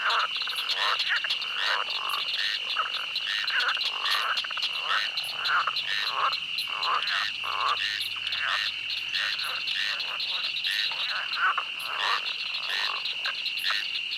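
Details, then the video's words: Frogs quack through a night swamp in a thick continuous chorus of quick nasal croaks over a high ringing drone, with a faint low hum in the middle section. "The sound of a night swamp where frogs quack."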